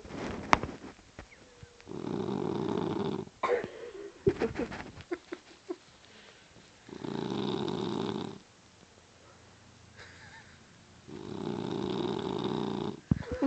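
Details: Boston Terrier asleep and snoring, harsh buzzing rasps of a second or more recurring every few seconds, with soft snuffles, clicks and wheezy breaths in the quieter gaps.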